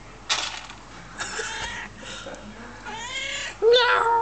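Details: Homeless hungry cat being fed thrown pieces of cat food; a person calls "oh, kitty, come here" in a soft voice, then a loud, bending, drawn-out meow rises near the end amid rustling and clicks.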